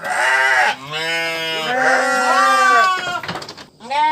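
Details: Sheep bleating: several long, wavering harmonic bleats about a second each, overlapping and rising then falling, followed by a brief rustling pause and another bleat starting at the end.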